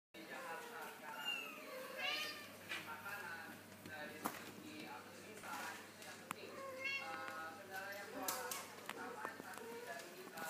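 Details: Kittens now able to walk give a run of high, thin meows, each an arching upward-then-falling cry, several overlapping in quick succession over ten seconds.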